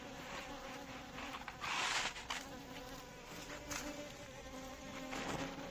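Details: Asian honey bees (Apis cerana indica) buzz steadily, a low droning hum with louder bursts as bees pass close.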